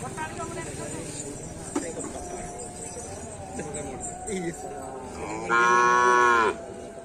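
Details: Cattle in training for karapan sapi bull racing at the Asemanis field: a loud, steady, drawn-out moo of about one second near the end, rich in harmonics, over crowd noise and a busy background din.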